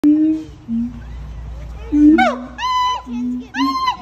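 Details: Siamangs give low, hollow hoots that break into loud, rising whoops with a ringing, harmonic tone.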